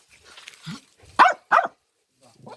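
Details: A dog barks outdoors, two sharp, loud barks in quick succession, apparently after a bang nearby, with quiet human voices telling it to stop barking.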